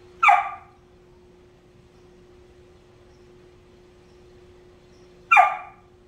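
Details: Lucy, a female Whippet, barks because another dog, Pebbles, lies in the bed she wants and won't budge: two sharp, short barks about five seconds apart, with a steady low hum underneath.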